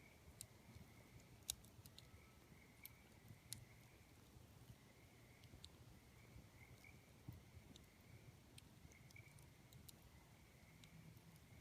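Tree frogs give soft, steady calls at night, with the crackle and pop of a campfire over them.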